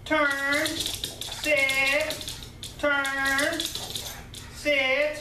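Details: Anna, a pet pug, excited as she learns it is mealtime; four drawn-out, yodel-like whines with wavering pitch, each lasting about half a second to a second, separated by brief pauses indoors.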